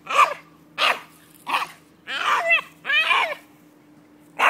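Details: Jack Russell Terrier making excited noises on spotting a squirrel: sharp barks alternating with drawn-out wavering whines and yelps, six bursts in under five seconds, a low steady hum underneath.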